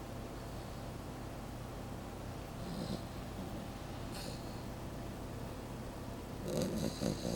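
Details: A sleeping Pembroke Welsh Corgi puppy snores with a soft, low, rumbling breath.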